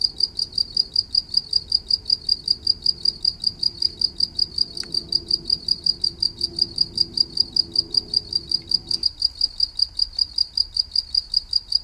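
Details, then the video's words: Cricket, green in colour, calling with rapid, regular high-pitched pulses, roughly four per second and unbroken throughout; a brief soft click and a low background murmur that stops partway through. "แมงเต่าทองตัวสีเขียว เสียงจิ๊งหรีด"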